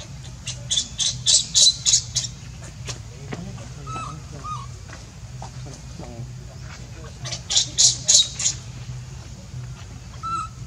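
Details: Baby monkey Leo, hungry and begging its mother for milk, gives two bursts of shrill, piercing squeals, each about six rapid pulses, separated by quieter moments with a few short mid-pitched chirps and a steady low hum underneath.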